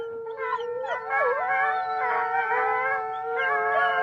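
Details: Pack of wolves howling together: one steady, drawn-out low howl held throughout while several higher voices overlap, wavering, rising and sliding down in long tonal glides, with no other sounds.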